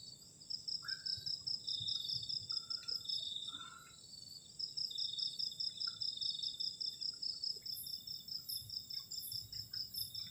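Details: Crickets on a cold night around a solo camper's garden shelter, trilling in long fast pulsed runs with a short pause midway, plus soft scattered taps and a faint higher chirping near the end.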